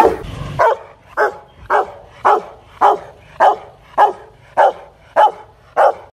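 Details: Aggressive Rottweiler barking at a Hanoi kennel, the dog Loki Gervi: ten loud, forceful barks at a steady pace, roughly two each second, with short quiet gaps between them.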